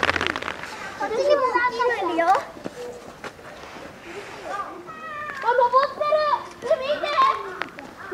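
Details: Lila, a nine-month-old female polar bear cub at Maruyama Zoo, Sapporo, Hokkaido, Japan, fussing near her mother Lara on a stormy typhoon day, apparently hungry before lunch: wavering, harmonic, whining cries in two long bursts with short pauses between.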